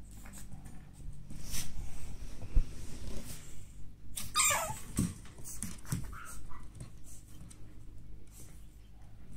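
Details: Male pug born on 2 April whimpers indoors, with one sharp squeal sliding steeply downward partway through, plus soft snuffling and shuffling sounds in a small room.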